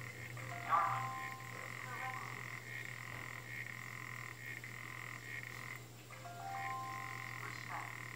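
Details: African clawed frog giving a buzzing, ticking trill that swells and fades in uneven stretches over eight seconds, with a few short clear tones near the start and end, all over a steady low hum.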